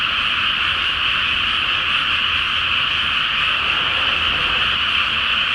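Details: Dense frog chorus in a flooded rice paddy before rice planting, under a full flower moon at night in Japan; countless overlapping croaks merge into a steady, unbroken high trilling wall of sound with a faint low rumble beneath.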